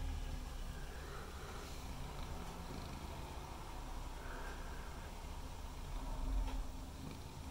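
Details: White and ginger male cat named Mimi purrs with tongue out, recorded on a Google Pixel 3 XL: continuous deep rumble, even and unbroken, with a faint soft rustle near the end.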